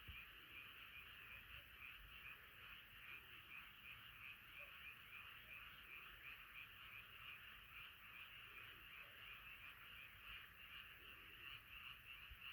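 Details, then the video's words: Night chorus of many frogs, a dense overlapping mass of rapid pulsed croaks forming a steady high band, repeating nearly three times a second without pause. "자연의 소리 개구리소리"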